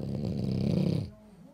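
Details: French Bulldog wearing pajamas, snoring: a single deep, rattling, harmonic snore lasting about a second, then near silence.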